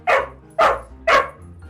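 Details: Dog barking; the bark can signal joy, fear, anger, awareness, frustration or need depending on context. Three short, sharp barks come about half a second apart over a faint low music bed.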